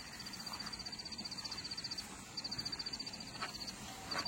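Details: Crickets give a steady, high, shrill trill in rapid pulses, pausing briefly between runs, beside a small tea garden and squash patch at a hill farmstay in Langurdang near Darjeeling, West Bengal; cricket.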